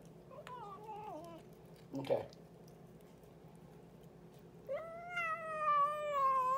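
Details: Boots, a pet cat, talking indoors in a small room: a falling meow near the start, a short burst at two seconds, then a long, steady, strongly harmonic meow sliding slightly downward at the end.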